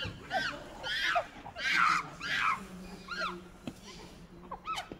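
A monkey gives a run of high, arching squeals and chirps, loud at first, then softer.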